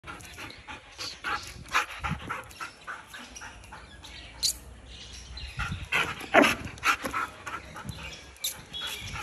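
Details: Belgian Malinois behaving aggressively; irregular harsh, noisy bark-like bursts, some clustered in quick runs, with panting between them over a steady background hiss.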